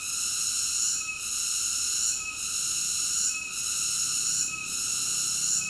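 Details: Cicada song as an unbroken high whining buzz with rich harmonic layers, pulsing with brief drops in loudness a little over once per second; no other animals or noises.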